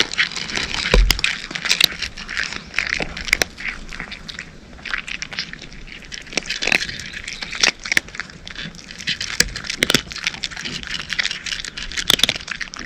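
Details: Cat crunching dry kibble, bursts of sharp crackly bites in quick irregular runs with brief pauses, with a steady faint hiss underneath.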